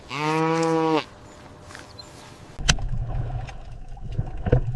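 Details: Cow giving one sustained, even moo lasting about a second, followed by quiet and then rustling, thumping noise.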